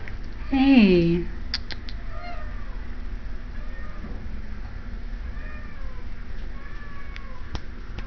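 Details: Cat at an animal shelter in Idaho Falls, indoors, gives one loud, drawn-out, falling meow, followed by a few faint distant meows from other cats and background music.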